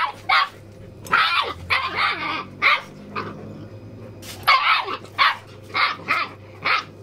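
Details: Puppies playing with their big brother on a farm, Achilles and Susan among them; repeated high yipping barks, some drawn out and whiny, in quick runs with a steady low background hum.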